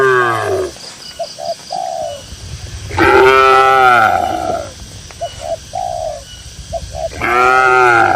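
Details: Tame herded cattle grazing in a cool green countryside field: deep harmonic moos near the start, at three seconds and again at seven, each drawn out and slightly falling, with soft short cooing notes between them.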